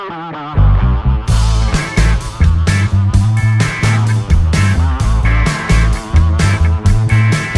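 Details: Loud rock music fills the recording: guitar riffs over a heavy, pulsing bass and drums, with no animal voice audible.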